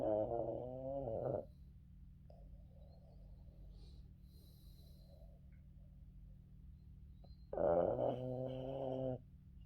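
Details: Yoda, a Boston Terrier, snores through an afternoon nap while sleeping on his owner; two drawn-out, rasping snores about six seconds apart, each lasting over a second, over a steady low indoor hum.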